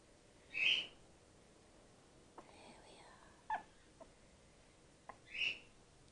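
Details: Gwickle, a young female grey-headed flying-fox in care, support fed by bottle while her concussed mother recovers; two brief high squeaks about five seconds apart, with faint soft whistly sounds and a few light clicks between them.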